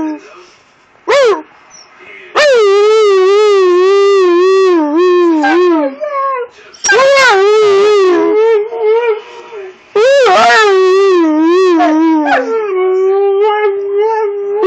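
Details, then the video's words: Husky–wolf hybrid howling back and forth with its owner as if arguing: long wavering, yodel-like howls rising and falling, broken into several bursts, with a brief human voice between them. "hybrid husky wolf arguing"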